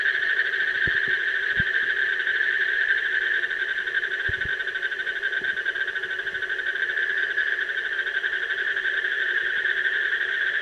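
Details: Steady, fast-pulsed trilling of an Asian common toad running unbroken through the whole stretch, a low droning layer beneath and a few soft knocks early on.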